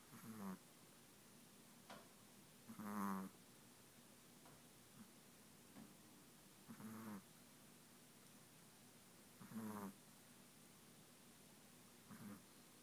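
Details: Chihuahua asleep and snoring, five short raspy snorts spread irregularly over the stretch, softer and more uneven, with faint small clicks between breaths in a quiet indoor setting.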